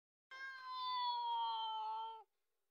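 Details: Cat fighting with a dog over milk: one drawn-out meow of about two seconds, a clear, steady tone that sags slightly in pitch at the end, with silence before and after.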